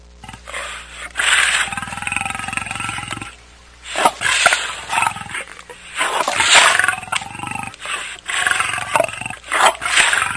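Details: African lion roaring: loud, rough, harmonic bursts lasting one to two seconds, repeated after short pauses, with no other clear sounds.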